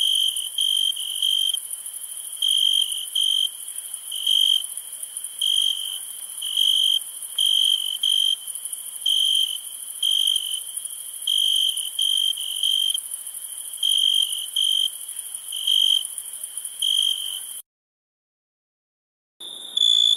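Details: Crickets chirping at nighttime: long sequence of clear, ringing half-second chirps at an uneven pace over a constant high-pitched insect hiss, briefly broken by silence near the end.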